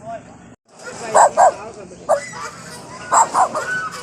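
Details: A dog gives short, mid-pitched barks, mostly in quick pairs, about five in four seconds, barking at a goose outside a house; a woman talks in the background.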